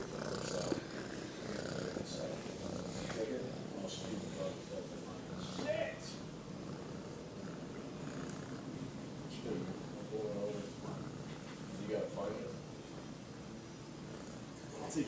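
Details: Domestic cat purring loudly: a steady, low, rapidly pulsing rumble that runs unbroken through the whole recording, with a few brief, faint voice-like sounds and small clicks over it.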